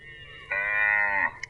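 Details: A single steady, harmonic moo from a cow lasting under a second, with a quiet background before and after.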